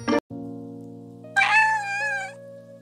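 A single drawn-out meow, about a second long, high and slightly wavering, over steady background music.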